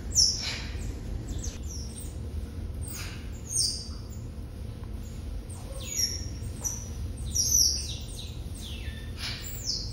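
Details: Asian small-clawed otter pups, a litter of six born November 18, 2021 at Brookfield Zoo and bonding with parents Pearl and Adhi off exhibit; rapid chorus of shrill descending chirps, several callers overlapping, steady low background rumble.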